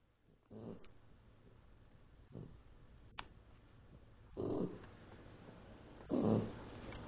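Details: Daisy, a pet puppy, snoring while asleep indoors: soft rough breaths at irregular intervals, with two louder snores near the end over a quiet room hum.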